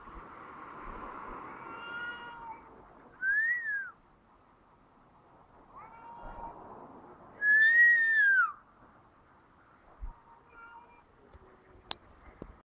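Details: Outdoor pair of cats in Heerenveen, Netherlands, answering each other with crying, baby-like yowls: a long low wail, then short arched whine, another low moan and a loud arching wail near eight seconds, softer calls afterward.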